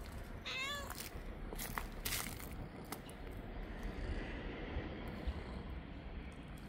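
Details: Mother street cat meowing as if urging someone to follow her to her hidden kittens; a single short, clear meow with a slight pitch dip early on, followed by steady low background noise and a few rustling knocks.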